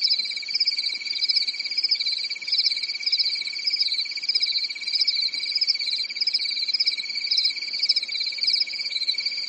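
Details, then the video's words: Crickets chirping on a calm summer night in a European forest: a dense, unbroken chorus of fast pulsed high trills layered in two pitch bands, with a faint steady low hum in the background. "Grillen zirpen in der Nacht"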